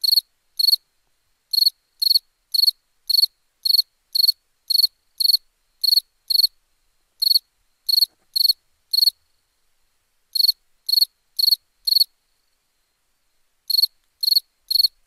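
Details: A cricket chirps through the night in long runs of sharp pulsed chirps about half a second apart, broken by two pauses of one to two seconds before the rhythm picks up again.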